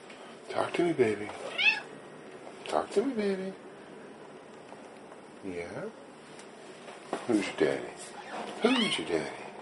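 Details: Domestic female cat asking to be let in and fed tuna: several drawn-out, wavering meows in bursts, with a man talking affectionately to her between calls indoors.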